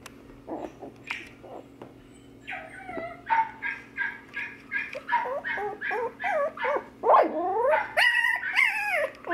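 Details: Wire Fox Terrier brothers, puppies at a pet shop in Nara, Japan; scattered short yips build into a steady run of sharp high barks and whining yelps, roughly two or three per second, with a steady background hum.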